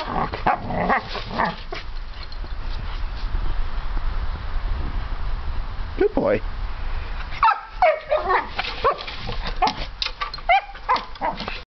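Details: An eight-month-old puppy at a friend's house plays with a plastic toy cat. It gives bursts of short, high yapping barks, mixed with people talking and laughing nearby.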